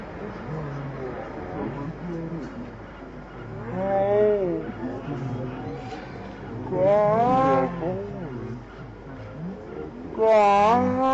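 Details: A patas monkey at Nehru Zoo, Hyderabad, India, gives loud, harmonic calls that arch up and down, repeated every few seconds; recorded 22 July 2018.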